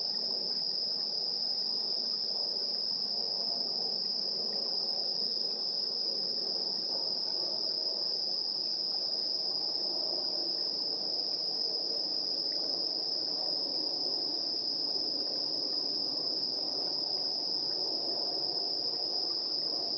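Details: Evening insect chirping, 7:04 PM, 3 September 2022, via the built-in stereo mics of a TASCAM Portacapture X8; a constant high trill continues over a denser, rustling lower chorus of overlapping chirps.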